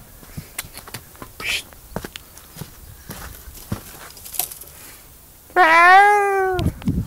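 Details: Cat crying: several seconds of handling noise and clatter, then one loud, drawn-out meow that starts high and falls, lasting about a second.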